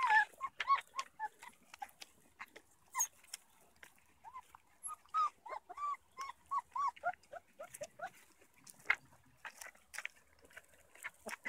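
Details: Young black-and-tan Beaucerons meeting Manchester Terrier pups for the first time give soft, rising-falling whimpers in short series, plus faint clicks and scuffling in between.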